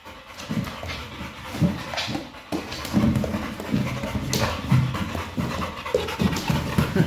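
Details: Pit bull Kral plays with a Pilates ball, panting in quick harsh gusts of breath. The bursts repeat about twice a second, mixed with bumping and rustling noises.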